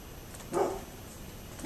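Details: A neighbour's dog gives one abrupt, rough bark, and a second begins just as the recording ends; recorded 27 October 2011 against a low constant hiss.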